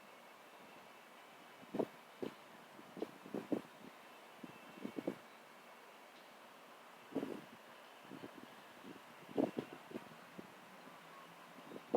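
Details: Scattered soft thumps and rustles over a steady low hiss of wind, with no clear animal voice.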